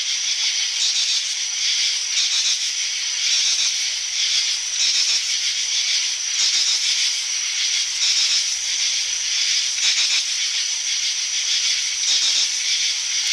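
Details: Insect. Many insects call together in a continuous, high-pitched wall of buzzing and trilling that barely rises or falls. Faint pulses ripple through the steady hiss of the chorus, with no other clear sounds beneath it.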